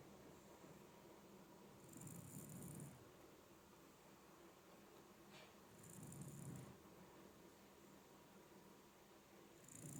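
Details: Ageing Shiba Inu dog snoring indoors, its snoring said to grow with age: low rumbling breaths with a hissy edge, each lasting about a second, about every four seconds in a quiet room.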